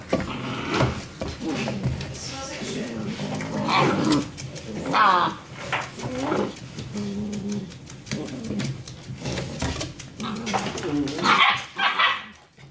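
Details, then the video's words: Six-week-old German Shepherd puppies play fighting in their nightly after-dinner session, from a litter of three males and four females. Rough, rumbling growls and throaty snarls rise and fall in uneven bursts, with some human speech mixed in. "6 Week Old German Shepherd Puppies Play Fighting"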